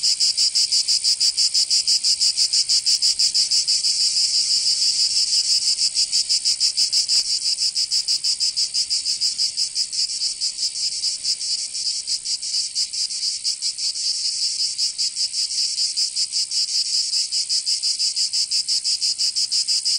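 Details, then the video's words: In southern France's Provence, summer cicadas keep up a constant high rasping buzz made of quick regular pulses, about three each second, softening slightly midway then swelling again; nothing else audible. "Canto Cigarra 🦗 [ Escuchar les cigarras en verano 10 H]"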